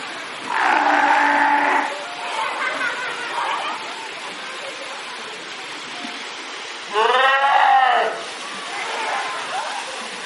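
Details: Fur seals swimming in a pool make noise with loud, harmonic bleating calls, one steady and one that rises and falls.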